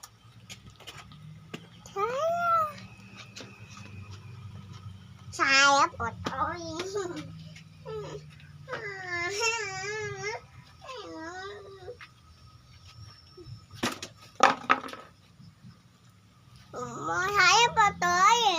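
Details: Kampung cat fed rice with Bolt pellets and omelette: repeated insistent meows spread through the stretch, some long and wavering, others short, over a persistent low hum with occasional clatter.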